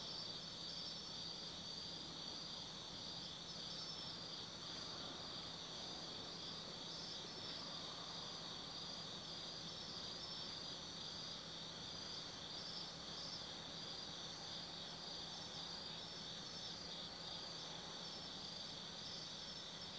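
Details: Insects of an autumn night in Tsukimi no Mori, Gifu, Japan, above the Nobi Plain: several layered high-pitched trills ringing continuously, quieter and more distant, over a steady low mechanical hum.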